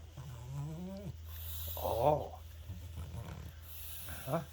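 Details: Pet French Bulldog getting pets and belly rubs, voicing its happy noise: a drawn-out, rising moaning groan, then a shorter wavering groan and a brief final grunt, with a woman's soft voice nearby.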